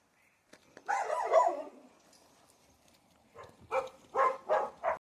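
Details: Boerboel outdoors at an off-grid rural place in Spain during a winter sunset: one long rough, noisy vocal burst, a pause, then four short, harsh barks in quick succession, with quiet background otherwise.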